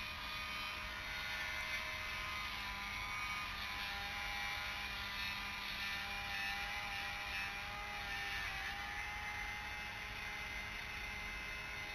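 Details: Only a steady mechanical drone with a constant engine-like hum is heard, and no animal calls.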